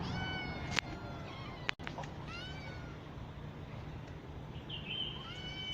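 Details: Rescued kittens in a cat house, one of them bitten with a deep wound; two clear harmonic meows in the first half, a couple of sharp knocks, and a low hum throughout.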